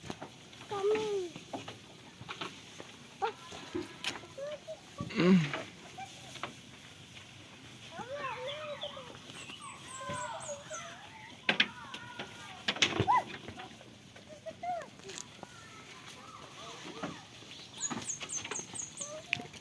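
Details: Farm goats playing and eating: wavering, nasal bleats come in bursts, several overlapping through the middle, with a few louder single cries, amid clucking fowl, thin high insect trills and scattered knocks and rustling.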